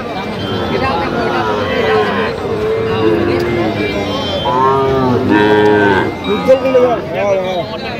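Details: At Aftabganj cattle market, Bangladesh, on 28/9/25, Sahiwal bull calves moo repeatedly: several overlapping, rich, bending bawls, some rising then falling, amid market chatter and people haggling over prices.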